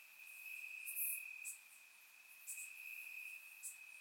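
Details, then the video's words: Crickets chirping in grass on a warm summer night in Bulgaria, recorded with a surround microphone: a steady high trill runs throughout, with brighter, sharper chirps bursting in at irregular moments above it. "Cricket Sounds - Crickets Chirping at Night"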